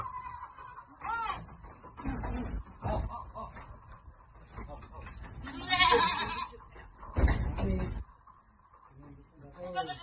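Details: Goats at Amang Victorio Goat farm being given vitamins: a wavering, quavering bleat near the start and another at the end, amid people talking, thuds and handling noise.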